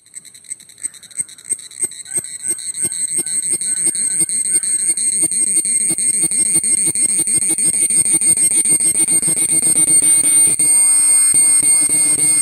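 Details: A cicada recorded up close sings in rhythmic pulses that quicken and swell into a loud, shrill, ringing drone.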